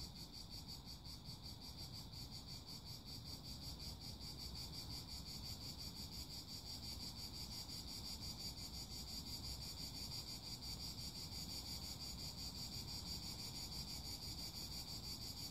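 Cicadas keep up a steady, high, shimmering buzz that never breaks, over a low background rumble.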